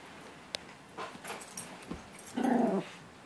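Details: Indoors during play, a dog nipping at its owner's hand lets out one short, harmonic, throaty growl near the end after several quiet rustles and clicks.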